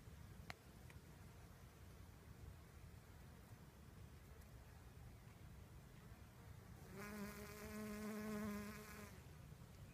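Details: Honey bee pollinating sorghum flowers: after about seven seconds of low rumbling background, a close, steady, low droning buzz rich in overtones swells in for roughly two seconds, then fades away.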